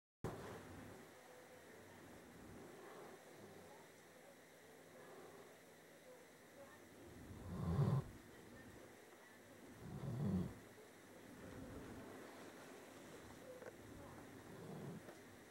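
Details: A male pet dog snoring softly while asleep, quieter than he had been earlier: two low, breathy rumbling snores a few seconds apart near the end, over a faint steady background hum.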